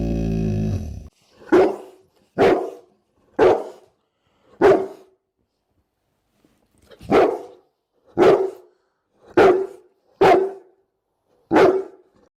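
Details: Repeated deep barks from a Bullmastiff, nine strong single woofs roughly one second apart with a short gap midway; a brief loud low rumble precedes the first bark.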